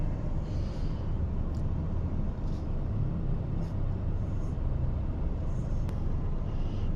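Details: A continuous low engine rumble of passing vehicles fills the recording, with a few faint high ticks and hisses. No animal calls can be picked out.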